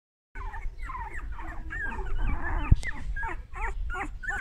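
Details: An English Cocker Spaniel puppy, a solid golden male, whimpers and whines in short, wavering, high-pitched bursts.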